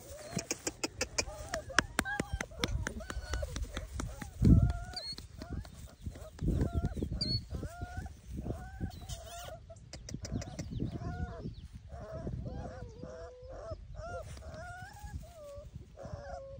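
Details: Group of Bernese Mountain Dog puppies calling: repeated brief squeaky whimpers and yelps tumbling over one another throughout, mixed with clicking and scuffling noises and a loud knock partway through.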